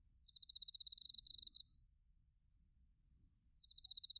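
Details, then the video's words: In autumn in Narita, Chiba Prefecture, Japan, crickets trill: a fast pulsed high chirp blends into a steady ringing tone lasting about two seconds, a pause, then a new pulsed burst; TASCAM Portacapture X8 recording. "秋の音 スズムシとコオロギの鳴き声 - Sounds of autumn, chirping of crickets and crickets"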